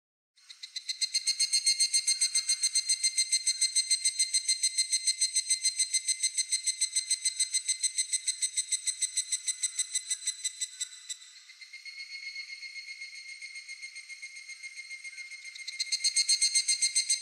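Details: Cicada singing in Japan: a steady, shrill buzzing drone with evenly spaced pulses, holding level for about ten seconds, dipping softer and lower, then swelling loud again near the end.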